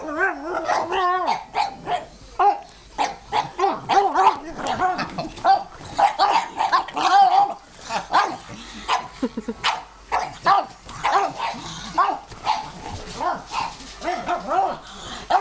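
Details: Pug barking frantically at a vacuum cleaner it hates, in a long run of sharp, rapid yaps and yelps at varying pitch, with the vacuum motor running underneath.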